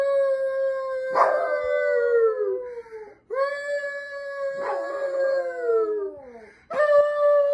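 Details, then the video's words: Chihuahua dogs howling: long, sliding wails that overlap one another, with brief sharp yips at the start of the calls and a fresh howl beginning at the end. "Chihuahua dogs barking and hauling"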